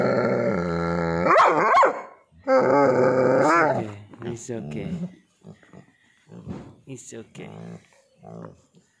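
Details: Indoor play between a naughty husky and an annoyed pitbull: long wavering whines and growly moans, then shorter broken grumbles and yips fading out, a person's voice faintly mixed in.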